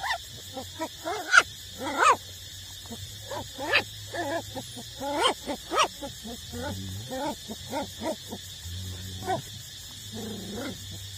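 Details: Street puppies aged eight weeks still suckling from their mother, making a chatter of high squeaks, whines and a few sharp yelps in uneven bursts, with faint grunts and a steady hum beneath.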